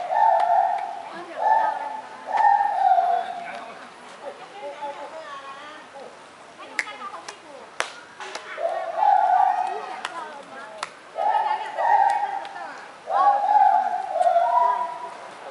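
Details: White-handed gibbon, Hylobates lar, calling in Kaohsiung. Bursts of strong hooting notes run in rapid runs, pause while people murmur and a few sharp taps sound, then resume with rising, wavering hoots.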